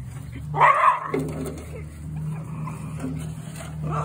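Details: Jack Russell Terrier at play with an aluminum gutter gives one sharp, loud bark early, followed by a faint whimpering tone over a steady low mechanical hum.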